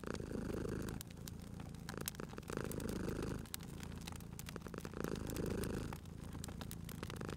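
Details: Cozy indoor purring from a sleeping cat at a fireplace, the deep rumble rising and falling in cycles roughly every two and a half seconds, overlaid by frequent crackling clicks from the fire.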